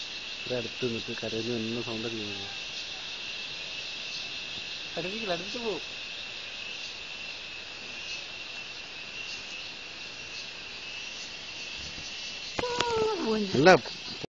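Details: Cricket, locally named cheveed, keeps up an unbroken high-pitched steady trill while human voices talk in short bursts at the start, midway and near the end.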